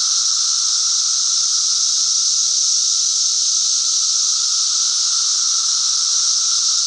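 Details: Cicadas produce a constant, even, high-pitched electric buzz over a faint lower tone, with no breaks, rhythm or other noises.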